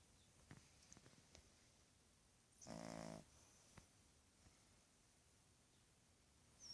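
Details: A 2½-month-old Boston terrier puppy gives a single rough, buzzy snore amid soft clicks and quiet.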